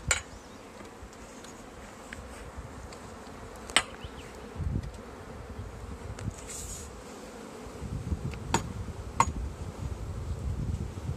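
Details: Honey bee swarm that has settled in a tree being collected into a bag: a steady low droning hum from many bees, with scattered sharp knocks and clicks and short louder swells throughout.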